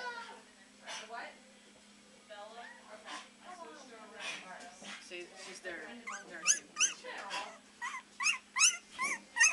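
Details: Several three-week-old Beagle puppies at the Maryland SPCA bay and howl. Quiet talk and faint whimpers fill the first half, then loud, high, sharply arched yelps burst out in a quick irregular series near the end.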